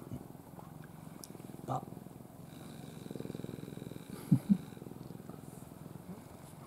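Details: Ai, the pet cat from a rescued stray family, purrs softly while asleep in her owner's arms. A low, even rumble rises slightly midway, broken by a couple of sharp clicks and faint handling noise.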